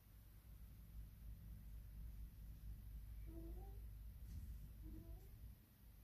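A Sphynx cat gives two soft, short meows that rise in pitch, a greeting, over a low indoor rumble.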